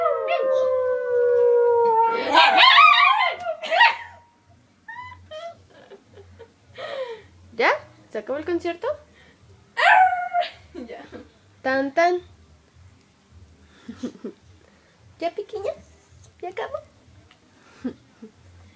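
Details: Three pet Chihuahuas howling together indoors: long wavering harmonic howls at the start, then shorter rising and falling yelps and howls in bursts, with human voices mixed in.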